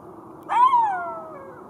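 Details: Golden jackal letting out one brief, arched wailing note that swells, then slides lower and fades, with a low steady hum behind it.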